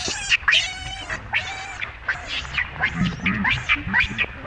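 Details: Shrill, wavering squeals from baby monkey Rainbow as Libby keeps up her treatment of it: stacked, harmonic cries rising and falling, given almost continuously in quick bouts over a few seconds.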